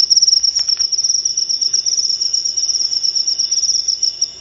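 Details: Cricket song meant to repel rats from caged birds, a shrill, fast pulsing trill that stays on one high pitch, with a few faint clicks early on.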